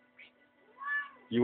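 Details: Pet cat meowing at dinner time, begging for the family's food; a short faint chirp then a drawn-out, soft meow swelling and fading, with a louder human voice breaking in at the end.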